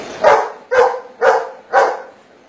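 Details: Golden Retriever working a maths problem, giving four sharp, evenly spaced barks in answer to 7 minus 3, with a man's voice posing the sums around it.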